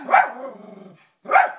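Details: Toby the dog, barking at himself shown on the TV: one sharp bark trailing into a low rumbling tail, a brief gap, then another abrupt bark.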